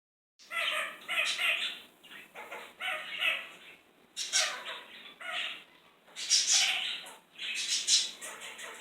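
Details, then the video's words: Kakariki, a cheeky parakeet indoors in a kitchen, making funny noises: harsh, buzzy chattering bursts repeated in clusters about every second, with short pauses between groups. "Kakariki making funny noises"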